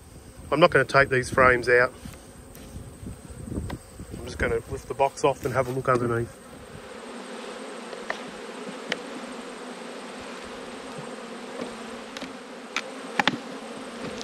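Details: Honey bees buzzing during an autumn hive inspection, one of twelve hives; a steady low hum follows about six seconds of a man talking, with scattered sharp knocks from handling the hive.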